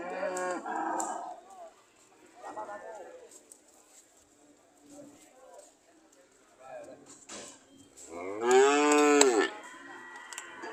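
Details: Cows ready to leave: several short, softer moos with harmonic bands in the first seconds, quiet gaps between, then one loud, drawn-out moo near the end that rises and falls.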